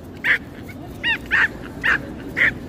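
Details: A stressed female pinscher at the beach gives five sharp, high yapping barks in quick, uneven succession over a steady background hiss. She starts barking and making a scene as soon as she arrives.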